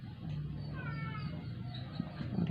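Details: Dying indoor rescue stray cat, unable to eat for 12 days and failing after injections at the vet, utters one weak, quavering meow over a steady low hum, with soft Tagalog encouragement nearby.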